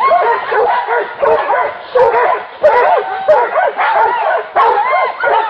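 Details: A pack of hunting dogs at a wild boar, barking in a dense, excited chorus. Overlapping high yelps and barks arrive roughly every half second, one voice over another, with no pause.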